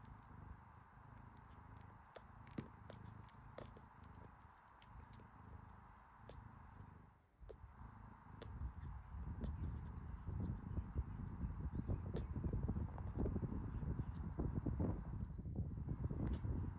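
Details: Kitten drinking milk from its mother cat, then falling asleep; soft low smacking clicks repeat about three times a second, growing louder and denser in the second half, while small birds chirp faintly in the background.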